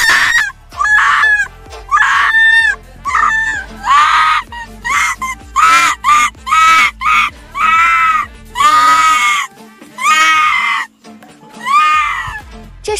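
A Tibetan fox gives a run of harsh, nasal, honking yelps, one roughly every second.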